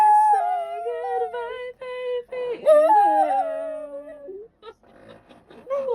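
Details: Pet dog indoors 'singing' on cue, drawn-out tonal howls that waver and slide up and down in pitch across several notes with short breaks, then softer broken vocal sounds and a final rising wail.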